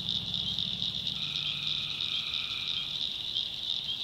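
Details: North Carolina backwoods swamp at night, tree frogs trilling shrilly and without pause; one long nasal droning note of nearly two seconds rises over the chorus beside quick low pulsing calls.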